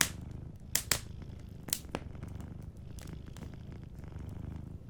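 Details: A sleeping cat purring softly beside a cozy fireplace: a low, continuous rumbling purr runs underneath while the fire crackles with sharp pops and snaps, loudest near the start and around the second and third seconds.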